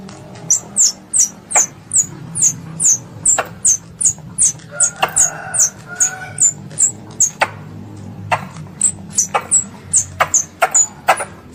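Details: Squirrel pest calling to its mother, as a hunting lure: a long series of high, falling chirps, roughly two to three per second, over a low hum with occasional sharp snaps.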